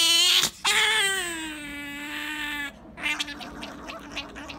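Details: A female pet otter named Sakura begging for jerky: a sharp opening squeal, then one long, sustained, harmonic wail lasting about two seconds, trailing into soft chattering and rustling.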